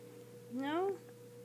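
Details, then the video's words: Persian cat named Purrcy, said not to want to hear piano music any more, giving a single short rising meow indoors, with a steady electrical hum underneath. "Persian Cat Purrcy Does Not Want to Hear Music Any More."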